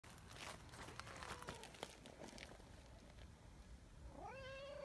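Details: Outdoor community cat, a brown tabby, meowing after hurrying back when its companion moved a little away; background clatter and noise, then one clear rising-falling meow near the end.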